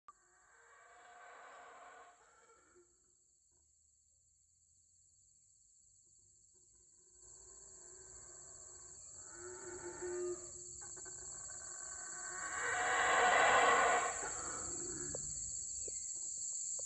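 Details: Wild howler monkeys in forest canopy at Palenque, Chiapas, Mexico. Hoarse, rasping roars come in bursts, first distant, then building to a loud, raw swelling roar near the end. A steady high insect buzz drones throughout.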